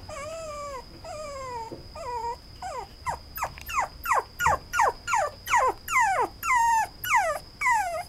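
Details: Young male Toy Poodle with brown coat, whining: first long, drawn-out falling whimpers about a second each, then quicker sharp descending yelps repeated roughly twice per second, growing louder; constant thin high tone in the background.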